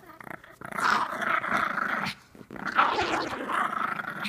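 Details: A pug plays with a sock indoors, growling in two long, rough, rumbling bursts of about two seconds each, split by a brief pause, with the noisy snarl rising and falling as it tugs.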